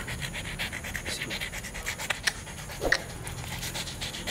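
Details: Rapid, breathy panting from Bobby the beagle, short airy puffs in a fast, uneven rhythm, with a couple of sharp clicks near the end.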